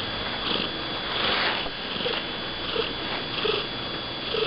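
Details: Close-up of Pixie, a male house cat built like a pit bull terrier, who lives across an estate; steady low purr with airy breath pulses repeating roughly every 0.7 seconds and small clicking sounds.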